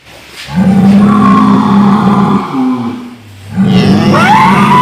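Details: Cow, its sound described as snoring, giving long steady low-pitched drawn-out calls with rich harmonics, a brief pause, then another droning call with a rising higher tone at the end.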